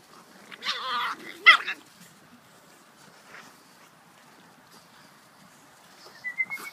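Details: Pug (Canis familiaris) puppies from a litter dated 18.12 give a couple of high, squeaky whines and yelps, then fall mostly quiet.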